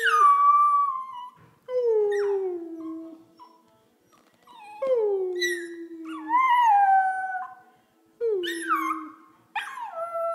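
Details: Pandora, an 11-week-old Pembroke Welsh Corgi puppy, howls in imitation of a person's whining and howling. Drawn-out, falling, harmonic tones come in several bouts, some sliding down from high whines. Short silent gaps fall between them indoors.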